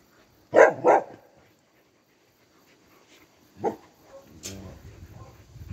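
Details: A Cardigan Welsh Corgi, filmed on 4 November 2022 while mobbing its owner and licking their face and hands, gives two quick, sharp barks, then a single later bark.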